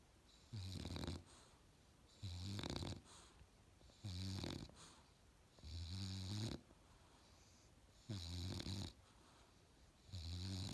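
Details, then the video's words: An Australian Bulldog puppy snores while asleep, six even, deep rattling inhalations with wheezy high hiss, each lasting about half a second and recurring every two seconds with near-silent gaps between. "Australian Bulldog puppy snores"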